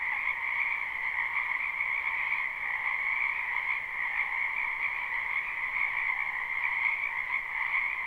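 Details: Frogs chorusing in a spring wetland, recorded live: constant shrill trilling stacked over a lower throbbing croak, the mass of voices never pausing and staying at one level.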